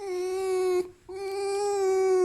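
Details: Tail-wagging pet fox Alf keeps squeaking, wanting affection rather than in pain. Two drawn-out, level, reedy whine notes are separated by a brief silence, with a slight rise toward the end of the second.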